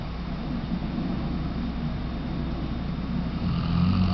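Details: Sleeping Weimaraner snoring in a steady, low, droning rumble with fast irregular pulsing, growing slightly louder toward the end.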